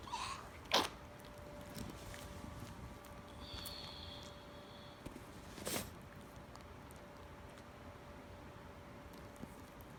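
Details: A 2-year-old rescue Chihuahua–Miniature Pinscher dog with really bad kennel cough gives two harsh, abrupt, honking coughs.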